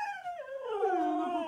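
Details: Pet Siberian Husky howling indoors during play with a surprising toy: a sustained, wavering tonal howl that slides downward, then levels into a steady, slightly rising drawn-out note with rich harmonics, lasting about a second and a half.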